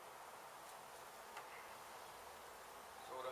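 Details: Disturbed honey bee colony in a demolished home in Mission, Texas, buzzing while brood and old comb are cut from the hive for relocation. A continuous, even droning hum with a slight swell at the end.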